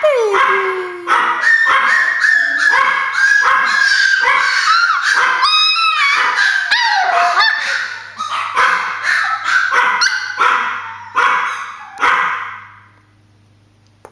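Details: Several pet Chihuahuas barking excitedly, thinking their grandma is at the door: rapid, high-pitched yaps and yips in dense overlapping bursts, several per second, with a human voice mixed in. The barking thins out and fades near the end.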